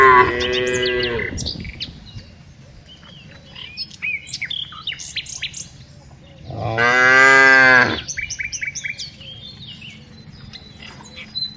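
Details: Herded tame cows in the afternoon give two strong moos about six seconds apart, each a rich harmonic bellow just over a second long, with busy chirping birds and faint rustling in the quieter gap.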